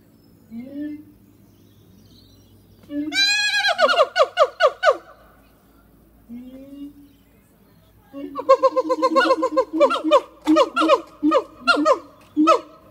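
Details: Siamang gibbons Harry and Mila in song at Zoo de La Fleche on a hot summer morning in August 2018; soft low hoots, then a sharply rising boom, followed by quickening rhythmic barking whoops repeated about every half second.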